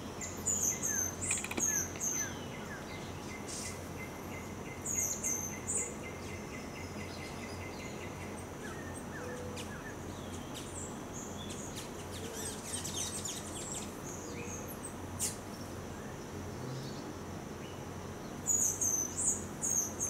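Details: A three-week-old baby Geoffroy's tamarin gives thin, very high chirps and twitters in short bursts.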